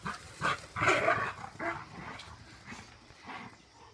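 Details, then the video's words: A big Rottweiler, Duke, wrestles with a puppy. A few loud, rasping growl-yelps cluster in the first second and a half, then fade into softer scattered grumbles and shuffling. "Puppy & Big Rottweiler wrestle around"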